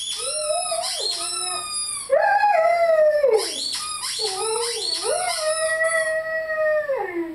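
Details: Five-month-old male Rhodesian Ridgeback named Lyle howls while playing with his squeaky chicken toy: three long, wavering tonal howls that sag in pitch at their ends, with the toy's high squeaks running above them.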